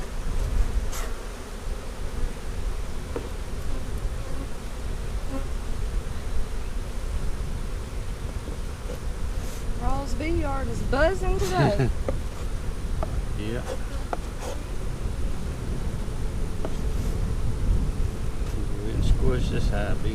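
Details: Steady hum of honey bees at a hive split being inspected on April 15, 2017, the colony having been divided three ways on March 4. Several passing bees bend their buzz in swooping glides around the middle, over heavy low rumble.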